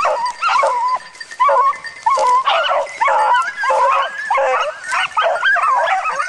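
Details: Dog worked on wild boar during training, uttering loud, rising and falling yelping barks in rapid runs separated by short gaps, some calls wavering into whine-like tones.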